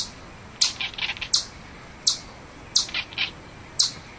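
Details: Chipmunk chipping: five loud, high, clipped notes with softer, lower chirps and squeaks between them, irregularly spaced.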